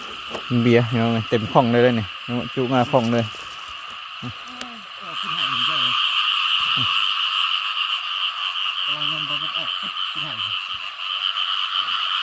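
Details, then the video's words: Frogs calling loudly in rain-flooded rice fields after a heavy downpour, heard at night while hunting frogs: a run of throaty, pulsed croaks in the first seconds, later scattered shorter croaks, under a continuous high-pitched droning chorus. "วันนี้ฝนตกหนักน้ำเต็มทุ่งนา เสียงกบร้องดังมาก"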